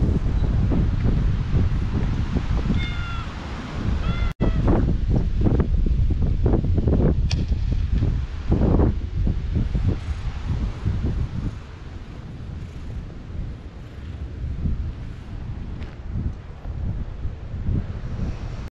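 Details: Park stray cat clinging to a walker's legs, recorded on a GoPro HERO8, utters two short high meows in quick succession early on, then only footsteps, rustling and wind noise follow.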